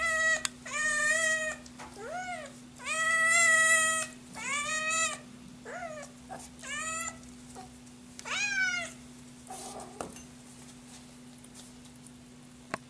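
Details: Scottish Fold kitten crying from hunger: a burst of loud meows, some long and some short and bending, growing fewer and quieter toward the end before near silence; constant low hum in background.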